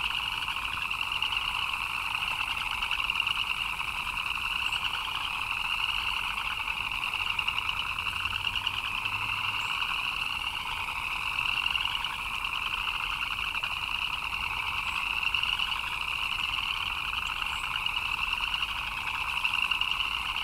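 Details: Frogs chirping in the rain: a dense, unbroken chorus of rapid trilling chirps forming steady high bands throughout, with a soft hiss of rainfall underneath and no clear pauses or other voices.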